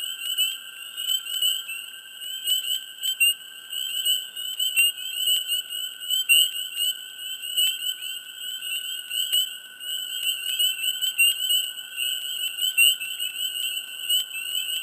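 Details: A dense mid-spring swamp frog chorus of steady high trills and rapid pulsed calls, overlapping without pause.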